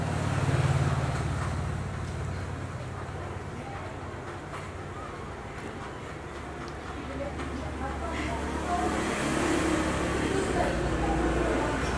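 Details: Steady roadway traffic rumble with passing cars and faint speech fills the whole stretch.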